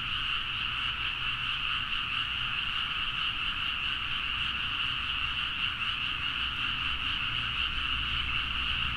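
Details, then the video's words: Rice-paddy frogs in Nagaoka, Niigata, Japan, chorusing at midnight, recorded on a Zoom H4n; countless callers blend into an unbroken, buzzy, shimmering trill that holds steady throughout, with a quiet low-frequency drone beneath. "The frog sound at mid night (環境,自然音 -深夜のカエル大合唱-)"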